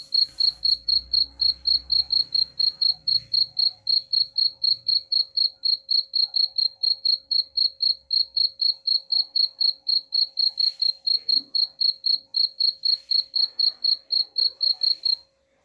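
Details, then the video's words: Cricket chirping, played as a sound meant to repel rats: a steady high-pitched chirp repeated about four times per second, regular pulses throughout with faint low rumbles early on. "suara jangkrik pengusir tikus ampuh"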